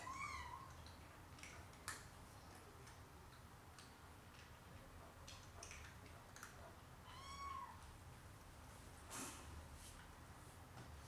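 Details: Four Siamese kittens playing beside their mother and father on a Saturday afternoon, indoors. Two thin, high, slightly falling meows sound near the start and again after seven seconds, among scattered knocks, clicks and a low steady hum.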